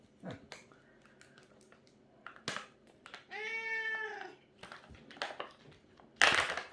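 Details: A cat gives one drawn-out, tonal meow lasting nearly a second, slightly arched in pitch. Scattered clicks and knocks come before and after it, and a sharp, noisy burst sounds near the end.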